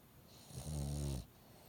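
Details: A dog whose nose stays blocked after an illness gives a single rattling snore, low and throaty with a buzzy edge, lasting about two-thirds of a second in an otherwise quiet room.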